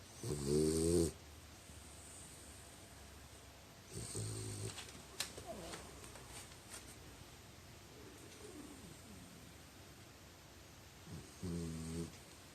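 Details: French Bulldog asleep and snoring, with short guttural rattling snores spaced irregularly about every three to four seconds, softer breaths between them and a few faint clicks in the room.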